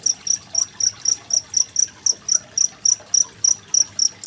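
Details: Cricket set against rippling water, recorded 25 February 2023 as a master sound for competition songbirds such as magpie-robins; sharp, high-pitched chirps beat steadily at roughly four per second while soft water noise runs in the background.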